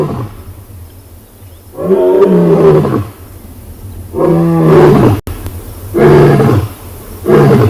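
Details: Roar of a huge male lion that has been scent marking, sunrise safari on 5 August 2020: deep, drawn-out moaning roars, three long swelling calls about two seconds apart, each sliding down in pitch, with quiet gaps between.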